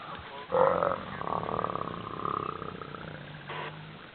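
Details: Hyenas fighting over an elephant carcass in the Sabi Sands, Kruger National Park, give a short loud tonal cry that rises then breaks into rough, pulsing grunting sounds with a falling whine, over faint background noise.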